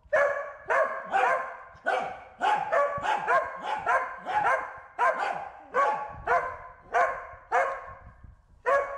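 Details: Herding a bee, the Corgi Wynee lets out a long series of ringing barks, some doubled in quick pairs, roughly two per second over nine seconds.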